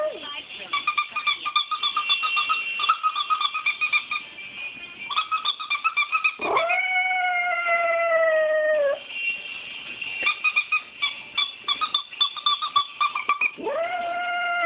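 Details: Miska, a female Shiba Inu, howling when annoyed by a squeaker taken from an old toy; long, steady, slightly falling howls, one mid-clip and another at the end, between bursts of rapid high-pitched squeaking.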